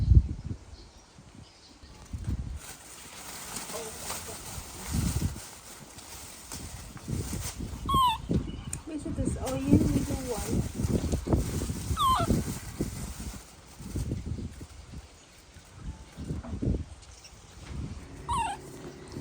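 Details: Baby monkey in a tantrum when its mother leaves, giving short, high, downward-sliding cries spaced several seconds apart, with people talking and rustling throughout.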